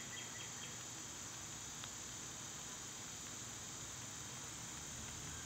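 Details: Outdoor summer chorus of cicadas, filmed when they were at their quietest: a constant thin high buzz that holds steady throughout, with a few faint chirps early on and soft rushing ambient noise.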